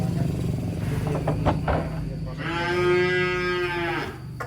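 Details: Giant contest-winning cattle rampaging after coming off a truck, a long steady moo rich in harmonics lasting about a second and a half, over engine rumble, clatter and voices.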